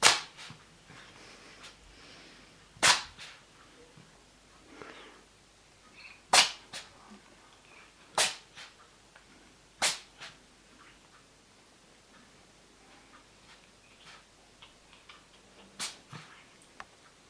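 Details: Indoors, a male cat sneezes repeatedly: short explosive hissing bursts spaced a few seconds apart, some followed by a faint second puff, over a quiet room background.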